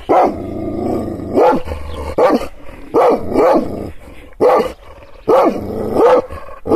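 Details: Anatolian Kangal dog, angered by gestures but never touched, gives booming barks in pairs and short clusters, each followed by a throaty growl, with brief quiet pauses between volleys.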